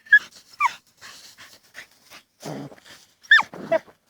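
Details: Dachshunds busy digging in a field in autumn 2015. Short, high, whining yelps come in pairs at the start and end, with a rough, breathy huff in between and faint scraping.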